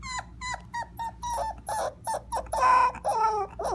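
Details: A tired Cocker Spaniel puppy at night, after a long ride and asked to howl, howls for the first time: a string of short, high yelping notes stretching into a wavering little howl.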